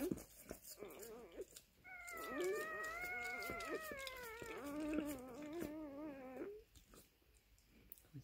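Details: Maremma Sheepdog puppy at birth: after a few short squeaks, one long quavering wail of nearly five seconds that wavers and drops lower at the end, with soft rustling and a human voice at the start.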